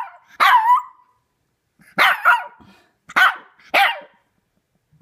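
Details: Three-month-old female Shih Tzu puppy howling at a squeaky toy for the first time: four short, harsh, yelping howls with bent, wavering pitch, spaced about a second apart, with quiet gaps between.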